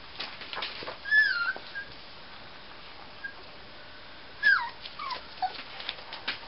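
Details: Six-week-old Miniature Schnauzer puppies give thin, high whimpers that bend up and down in pitch.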